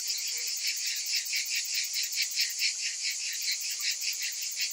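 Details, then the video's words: Summer cicadas in a steady shrill drone, pulsing roughly twice a second in a thick, even wall of sound. "Cicadas in Summer"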